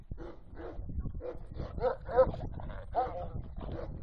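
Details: A farm-kept male Caucasian Shepherd Dog, two and a half years old, barks during a courage test: deep, rough barks in uneven bursts, several per second at times, with people talking nearby.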